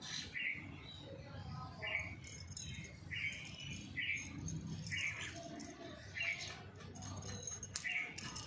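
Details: Kitten meowing in short, high, slightly bent calls, repeated roughly once a second in an even series, with faint rustling and scratching between the cries.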